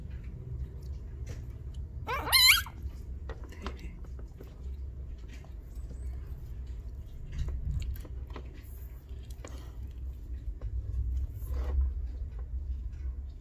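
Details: Six-day-old newborn Laika puppies, hunting-dog breed from Korea, from a litter born to the mother Obaek-i; one loud, brief rising whine with bright overtones, followed by faint scattered squeaks over a steady low rumble indoors.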